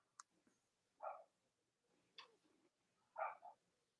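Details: Indoor litters of Cavalier King Charles Spaniel puppies, born to Robin and Myra, on a chilly late-October morning in the US: two short, nasal yelping bursts about two seconds apart, each preceded by a sharp click, over quiet room noise.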